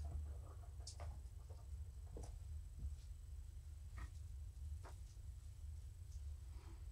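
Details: Morticia, a pet cat, purrs while being petted indoors in the evening, a steady low rumble running unbroken throughout, with a few soft clicks and rustles of handling above it.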